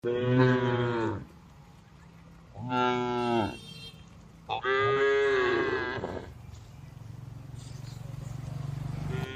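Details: Cattle resting calmly among dozens of tame cows in a spacious farm barn give three deep, harmonic moos, each a second or more long, with a low hum between.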